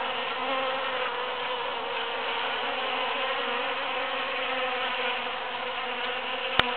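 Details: A crowd of bees foraging in huge cactus flowers after the Super-Full Moon of June 22, 2013, their wings making a steady, thick buzzing drone, with a brief sharp click at the very end.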